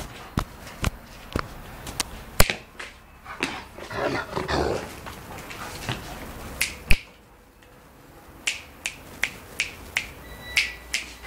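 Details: Angry Rottweiler, a pet dog, barking in short sharp bursts, about a dozen spaced barks with a lull in the middle, some louder than others, with faint rustling in the background.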